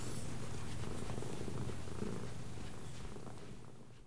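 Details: Pet cat purring after being praised for turning left on command, a low pulsing rumble about four pulses per second that fades toward the end, with a person's voice nearby.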